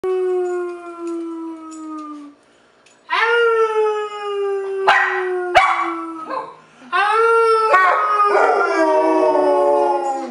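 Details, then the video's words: Harley, a rescued 8-year-old Basset Hound from Portland, Oregon, gives long, sustained howls with a strong steady tone, each held several seconds and sliding slightly down in pitch, separated by short breaks and a few sharp clicks. "Concerto in Howl Minor"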